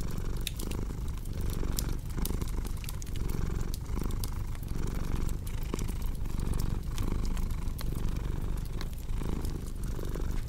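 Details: Pet cat purring in a steady low drone with gentle breath pulses, nearly covered at times by dense, frequent crackling and popping of a fire.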